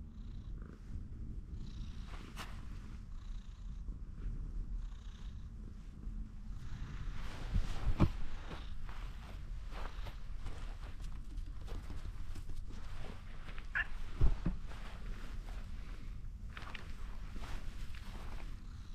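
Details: Orange tabby cat climbed onto a fence and wanting more strokes, purring steadily and low, with sharp clicks and rubbing sounds from petting near the middle and later.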